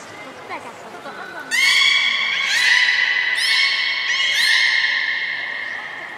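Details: Beluga whales at Port of Nagoya Public Aquarium on 3 February 2019, during feeding and the play time afterwards: after a quiet start, a loud sustained bleating squeal with rich harmonics begins and runs on with several rising pitch shifts.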